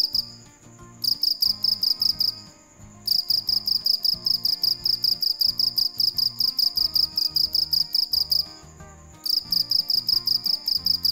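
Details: A cricket chirps at night in rapid, high, ringing pulse trains, with faint low music underneath.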